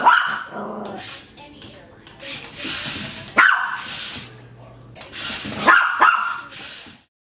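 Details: Maltese puppy yapping during play with a toy spider: high, sharp barks at the start, around three seconds, and a doubled yap near six seconds, separated by hissy rustling and faint human sounds.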